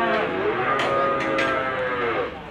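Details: Limousin cattle lowing at the Gondanglegi animal market in Malang, East Java, on 12 February 2020; a long drawn moo with faint clicks and market chatter in the background.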